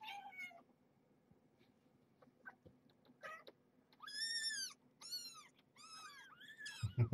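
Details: Squealy two-week-old kittens, litter of the rescued stray Marge, before their weigh-in: a run of loud, clear arched mews, each rising then falling, five or six in quick succession, over a faint low hum.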